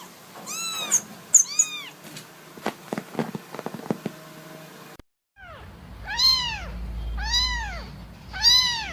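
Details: Kittens meowing: two thin, high meows, then a patch of clicks and taps, then after a cut a kitten gives loud arched meows about once a second over a low hum.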